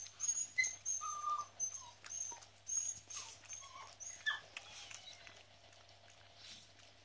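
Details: Newborn Miniature Schnauzer puppies during whelping, recorded 10/7/15: short high squeaky whistles and brief whimpers, several in quick succession in the first half, then fading to quiet hiss.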